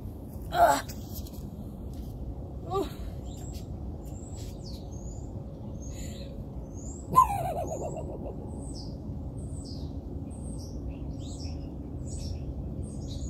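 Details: Raccoon barking: three short harsh calls, each a sharp burst sliding quickly downward, spaced a few seconds apart, over steady low background hum with faint bird chirps throughout.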